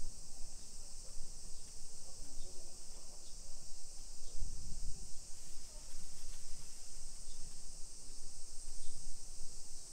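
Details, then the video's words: Continuous high-pitched cicada chorus on a summer afternoon, 1 PM, 28 July 2021, in a modern hillside neighborhood of Nisshin near Nagoya, Japan; the even buzzing wash holds throughout, with faint voices, a few scattered ticks and a brief low thump midway. "Summer Cicadas Sounds"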